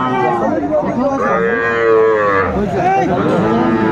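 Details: Sahiwal cattle calves at a Sylhet livestock market in Bangladesh, 11 January 2025: a long, rich moo swelling and falling over two seconds, other cattle lowing alongside, and murmuring people in the background.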